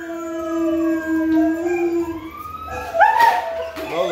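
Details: A dog howls back at played howling test sounds while kept in her kennel; one long, steady, level howl is held for about two seconds, then a higher wavering cry and a brief noisy burst follow.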